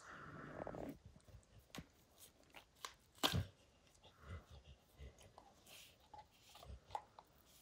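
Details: Max, a pet dog, chewing apart a baseball hide indoors: scattered crunches and soft gnawing clicks, one loud sharp crack near the middle, quieter scraping between bites.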